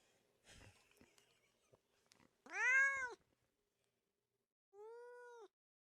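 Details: Cat giving two meows after soft clicks and rustling: the first is loud and rising-falling, and a quieter, flatter meow follows about two seconds later.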